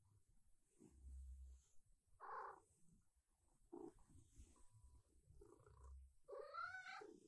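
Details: Female silver tabby cat in her morning routine, wanting breakfast and strokes: low rumbling purr, a short bright meow, and more purring, ending in a drawn-out wavering meow rich in harmonics.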